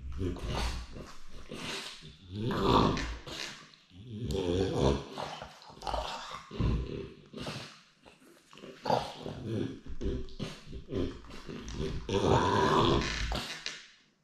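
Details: French bulldog longing to be with his daddy, producing a long run of snorting, grumbling and growl-like moans in uneven bursts, rising and falling through the clip in a small indoor room.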